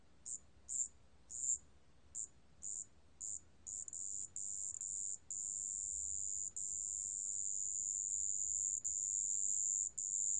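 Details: From Korea's National Institute of Biological Resources, 2020, a marsh bell cricket gives several brief high tinkling pulses, then settles after about four seconds into a nearly unbroken shrill ringing trill with only occasional short gaps.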